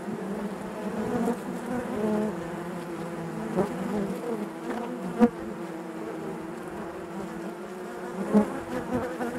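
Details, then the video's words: Steady droning of honey bees within their hive, a constant low buzz with rippling overtones and a few sharp clicks standing out, one loud tap near five seconds and another after eight. "bees therapy hive natural buzzing sound"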